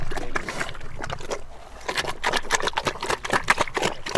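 A pig eating, with wet, irregular chomping, slurping and smacking sounds.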